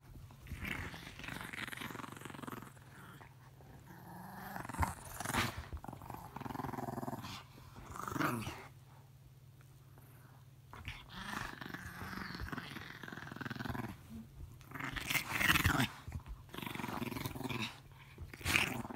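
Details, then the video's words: Pet dog growling in play during a game of tug of war between a German shepherd and a tiny dog; rough, rumbling growls rise and fall in bursts with short pauses, over a steady low hum. "dog tug of war"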